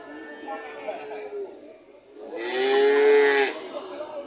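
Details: Cattle lowing: a faint harmonic moo early on, then a louder, steady-pitched drawn-out moo lasting about a second with rich overtones.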